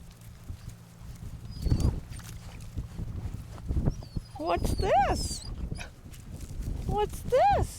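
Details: Puppies out exploring the grounds for their first time, bold and fresh from wading into a pond, give two short rising-and-falling whines near the end over low rumbling handling noise, with a woman talking to them.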